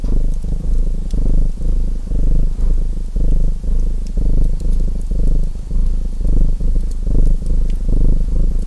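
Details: Domestic cat purring next to a crackling fireplace: a deep, steady rumbling purr that swells and pauses in breath-like pulses about once a second, with sharp fire crackles and pops scattered above it.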